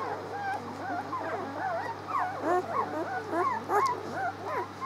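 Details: Six-day-old puppies squealing together: a dense chorus of overlapping high, wavering whines and squeaks, rising and falling quickly, over a steady low hum.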